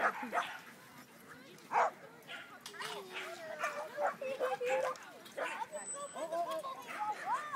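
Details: A male corgi at a corgi meet in San Diego gives sharp yips, short barks and whimpering whines while playing with a female, with people talking over it.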